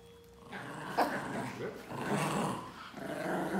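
A Pinscher growls in a rough, rumbling stream with one sharp, abrupt yap near the start.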